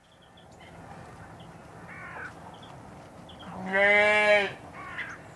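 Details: Adult domestic sheep at Slimbridge, Gloucestershire, U.K., gives one loud, wavering, harmonic-rich bleat lasting under a second near the middle, with fainter short bleats and distant bird chirps around it.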